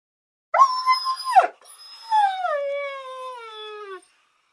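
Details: Dog eager to eat faster, letting out a brief, wavering, yelping cry followed by a drawn-out, howling whine that slowly descends in pitch.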